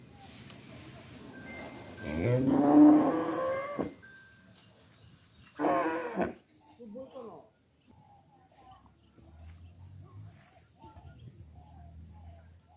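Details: Calf mooing in two bursts: a hoarse, drawn-out moo of about two seconds, then a shorter one a couple of seconds later, followed by faint high chirps and low background rumble.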